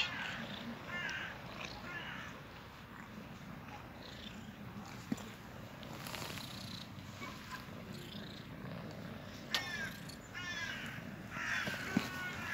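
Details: Two cats cuddling up, purring in a low, uneven rumble, while short bursts of stacked, chirp-like calls rise above it in the later seconds, along with a few clicks.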